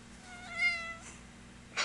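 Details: A female Ragdoll cat dressed in a pirate outfit gives one clear, drawn-out meow that starts bright and slides gently downward.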